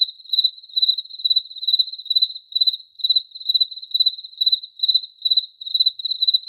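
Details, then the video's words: High-pitched cricket chirps, each a quick cluster of pulses, come roughly every half second, about fourteen in a row, on a quiet background. "Cricket Chirping Sound Effect"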